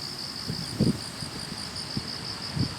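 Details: Chorus of grass insects by a roadside on an autumn morning commute: a steady high, shimmering trill with a faint higher overtone, broken by a few low thuds of handling or footsteps.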